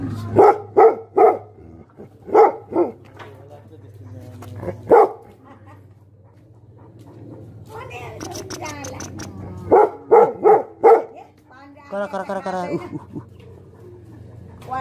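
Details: Angry Tibetan Mastiff, locally called Bhote Kukur, barking in short bursts of deep, harsh barks, three or four in quick succession, then a pause and another volley; a low steady hum and some rustling run underneath.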